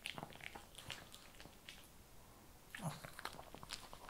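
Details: Shih Tzu dog eating kibble indoors, with scattered crisp crunching clicks in brief bursts and a louder cluster of bites near the end, set in a quiet small room.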